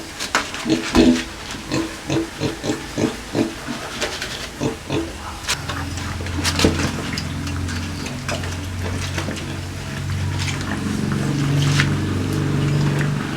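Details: Feeding time for two native pigs kept with native chickens: quick rhythmic grunts and chomps for five seconds, then a steady low droning hum dominates with occasional faint grunts.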